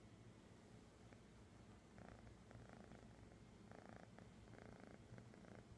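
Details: Kitty found in Sun City, California, on 11-09-2015; after two quiet seconds a soft, regular purr begins, its pulses coming in short bursts over a steady low rumble.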